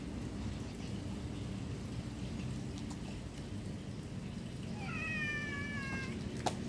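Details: Domestic cat giving a single drawn-out meow late in the recording, lasting just over a second and sliding gently downward at the end, against a steady low hum and rumble.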